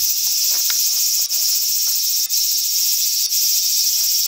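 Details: Large brown cicada in Japan: a loud, unbroken sizzling buzz, high and dense, with a brief dip roughly once a second and faint low ticks beneath.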